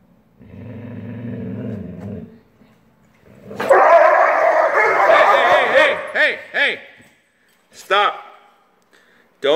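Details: Two Weimaraner sisters snarl and growl harshly while fighting over a comfy dog bed, one bullying the other out of it, with sharp rising yelps and a person speaking.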